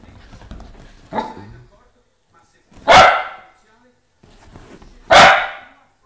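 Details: Dog barking indoors while a poodle plays with a whippet puppy, which of the two is not said; a faint yelp near one second, then two loud sharp barks about two seconds apart, with Italian speech in the background.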